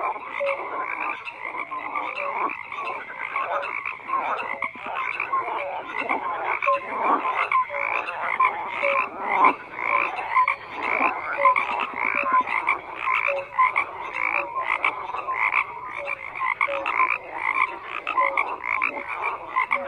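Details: Many frogs croak at once in an unbroken chorus; grating pulsed calls pile on top of each other with occasional short pure notes, steady in loudness throughout.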